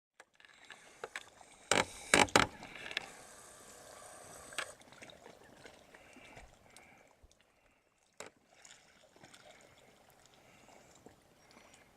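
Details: Sharp knocks and clatters, like oars or gear on a small boat, over faint lapping water and hiss, with no animal voice.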